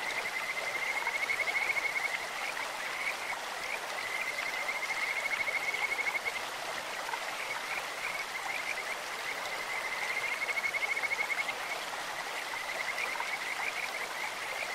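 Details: Along a clear stream, Kajika frogs sing in a beautiful, bird-like voice: three long, high, whistled trills, each lasting about two seconds, with short chirps between them, all over the broad roar of the water.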